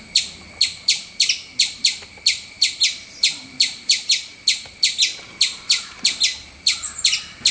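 A squirrel gives sharp, high chips, repeated steadily about two or three times a second.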